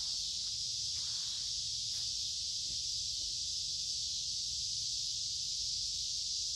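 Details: Many noisy cicadas sing in summer woods along a creek on a warm, humid day; a steady, dense, high buzzing hiss fills the air without break, with a faint low rumble and light rustling beneath.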